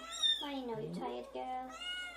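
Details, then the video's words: Newborn kittens crying while their mother is away, indoors; drawn-out harmonic mews that rise and fall, one after another, with a woman's soft voice talking nearby. "Newborn kittens cry when mom is away"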